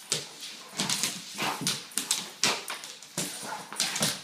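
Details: Indoor play between a Weimaraner mom and her 10-month-old pup from her 2012 litter: a quick series of sharp huffs and whimpering yips, about two each second, with scrabbling noises between them.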